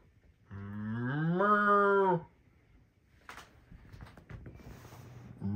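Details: Cows resting in the pasture at night give one long moo lasting nearly two seconds, low and steady then rising slightly in pitch before stopping abruptly, followed by faint rustling and quiet background sounds.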